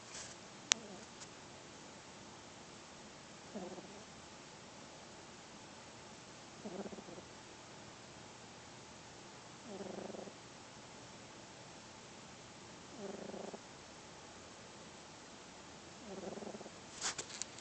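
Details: Oreo, a four-month-old pet kitten, snoring while asleep: soft, low, harmonic breathy snores repeat about every three seconds over a steady background hiss, with a few faint clicks.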